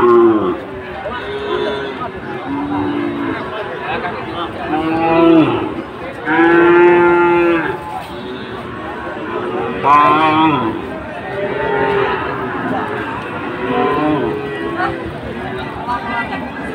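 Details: Sahiwal bull at Ambari cattle market, where Chittagong traders buy bulls on Monday 24 July: several drawn-out, harmonic moos, one long steady low call near the middle, over busy market chatter and crowd noise.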